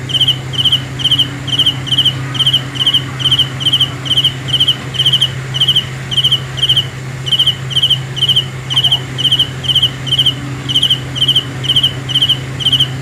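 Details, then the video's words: Regular high-pitched cricket chirps, about two a second with short gaps, each a rapid pulse train; Hmong call it kab ciliv. A low hum runs steadily beneath. "The best sounds of Cricket 《 Suab Kab Ciliv Quaj Zoo Heev》 ( ສຽງແມງຈີ່ນາຍຮ້ອງດີໆ )"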